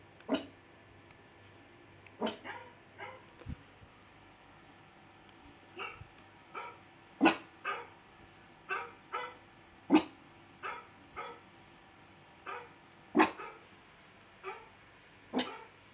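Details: Pet pug barking in reaction to the sound of another dog barking: short sharp barks and yips, single or in quick pairs, at irregular intervals of roughly half a second to two seconds, over a low steady room hum.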